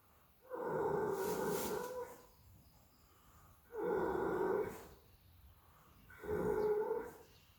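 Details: Horse snoring while sleeping: three long, rough, droning breaths, each about a second and a half long, recurring every two to three seconds with quiet gaps between them.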